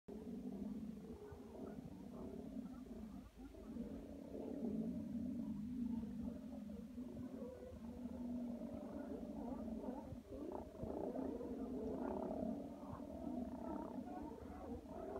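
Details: Several sea lions roaring in a dense, unbroken chorus of deep, harmonic, growling calls that overlap and swell throughout, over a constant low rumble.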